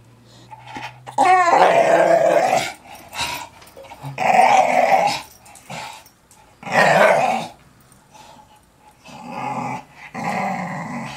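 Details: Young English Staffordshire Bull Terrier, a pet dog indoors, undecided about playing ball: growled bursts about a second long recur every two to three seconds, with rough mid-pitched vocalising and a brief whine near the start.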